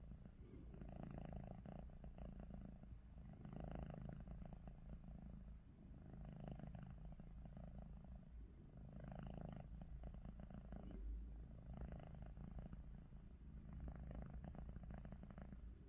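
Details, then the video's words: Domestic cat Ruby, eyes open yet snoring, gives a run of low, gravelly breaths, about seven of them, evenly spaced around two seconds apart against a quiet room hum. "루비 눈 뜨고 코골이"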